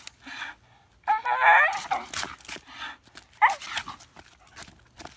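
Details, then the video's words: Bull Terrier making crazy sounds: a wavering, warbling whine about a second long, followed by snuffly, noisy breaths and a brief second whining note. "making crazy sounds"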